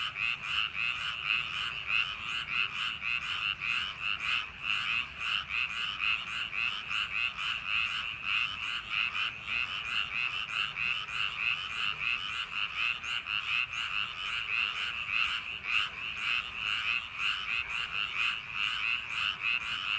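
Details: Paddy-field frogs on a summer night, many calling together. Grating croaks pulse quickly and steadily through the whole stretch with no pauses, a thick, even chorus that barely changes in loudness.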